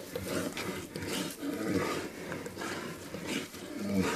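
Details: Fighting bears, with a mother bear attacking a male to protect her cubs: a continuous rasping, noisy growl with low rumbling pulses and short roaring swells, heard against a busy outdoor background.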